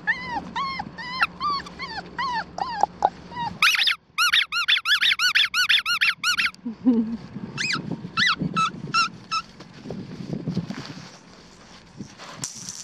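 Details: Black tri female Australian Shepherd pup, almost four weeks old, in Oklahoma, whining in even arched notes, then bursting into loud rapid squealing yips, followed by a few scattered squeaks and soft rustling.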